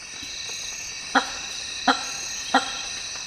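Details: Male hammer-headed fruit bats (Hypsignathus monstrosus), Africa's largest bat, give short, loud resonant honks about every two-thirds of a second in African rainforest, calling to impress females at leks.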